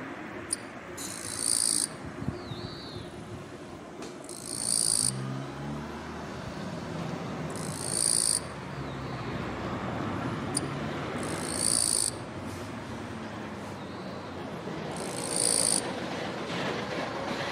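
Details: Male Eastern-Japanese katydid singing on a kwanso orange daylily flower bud among Chinese silver grass to attract a female, scraping its forewings; raspy, high buzzing bursts about a second long, repeated roughly every three and a half seconds over steady low rumbling background noise.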